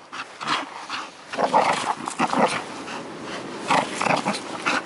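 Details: Bull terrier in Karystos, Greece, giving short growling, snuffling vocal bursts, rising and falling in quick irregular pulses over about five seconds, indoors in a small room.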